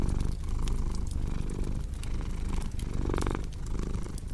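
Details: Close, buzzing purr of a domestic cat throbbing in short breath pulses, with a brief louder inhale near the end and crackling fireplace sounds in the background.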